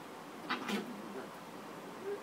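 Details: Chihuahua puppy playing with its father indoors, giving two short, high, strained yelps in quick succession, followed by quiet room sound and a faint soft whine near the end.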